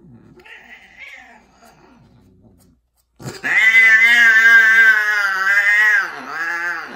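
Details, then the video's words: A female tortie Persian cat gives a loud, drawn-out, wavering yowl while mating with a white, odd-eyed, extreme-face Persian tom. "Persian Cats Mating (loud female)"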